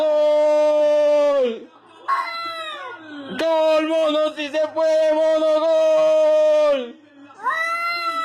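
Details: Domestic cat giving odd noises: a series of long, loud, level yowls, each held one to three seconds and ending in a downward slide, broken by brief wavering cries and short gaps.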